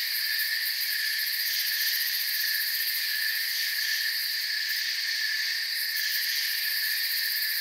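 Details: A night forest cricket chorus: continuous shimmering, high chirping from many insects layered into even bands, with faint rapid pulsing on the top layer and no breaks throughout.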